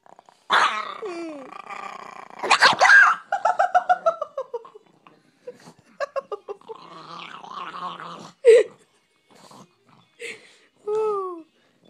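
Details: Female pet dog guarding a bone she was given in the morning, snapping when someone reaches to pet her: harsh snarling growls break into a quick series of pulsed rumbles, with sharp yips and short sliding whine-like cries between bursts.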